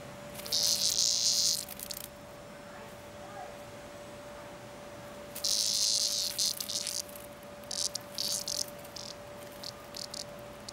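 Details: Cicada caught and played with by a cat named Nellie, giving loud harsh broadband buzzes in bursts of one to two seconds separated by quiet gaps, with shorter broken buzzes near the end and a steady low hum underneath.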